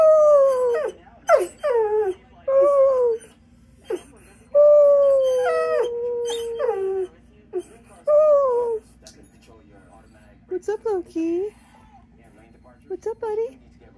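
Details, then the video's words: Loki, a pet dog, 'singing' in a series of wavering howls: short falling notes, then one long sustained howl of about three seconds that slowly sinks, followed by brief higher yelping bursts between quiet pauses, with some human talk. "Loki singing"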